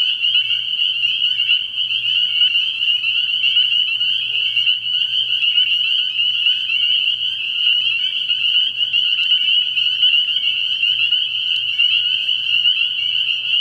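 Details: Spring peepers at a frog pond after dark, early in the year, massed in full chorus. Countless sharp, high whistled peeps merge into a steady, even drone, with a low faint hum underneath.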